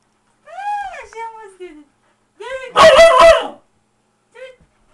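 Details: Siberian Husky playing with its owners: a drawn-out whining howl that rises then slides down, a second shorter one, a loud harsh burst, then a brief final whine.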